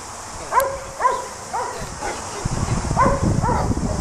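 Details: Border Collie sheep dog at work in New Zealand, giving short, arched barks about twice a second over steady background hiss, with low rumbling and rustling noise growing in the second half.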